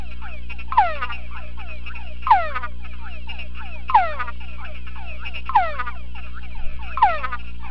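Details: In a sound-proof box, a male túngara frog responds vocally to playback of a conspecific chorus. Loud descending whines recur about every one and a half seconds amid fainter overlapping whines, a low hum, and a brief soft knocking near the end.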